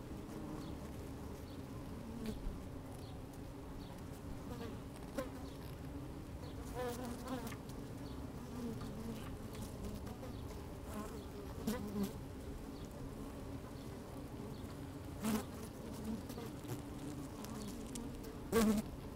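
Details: Working honey bees at an opened hive on a fine sunny day, microphone down inside; a quieter steady hum with sharp clicks and taps scattered across the recording, a few short louder bursts toward the end.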